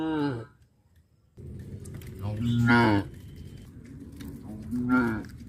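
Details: Cows being herded back to their pen through a fish pond area give deep, drawn-out moos with rich harmonic overtones, several calls within a few seconds.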